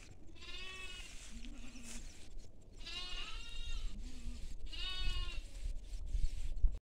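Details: Sheep and lambs on farmland: three wavering, nasal, strongly harmonic bleats roughly every two seconds, each under a second long, with shorter, lower grunting calls between them over a steady low rumble of background noise.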